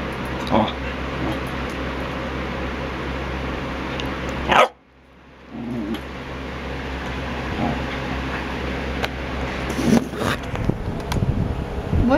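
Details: Female pet corgi indoors, protesting at being ignored while her owner studies; a few short, gruff barks spaced seconds apart over a steady low hum, with a brief silent gap midway.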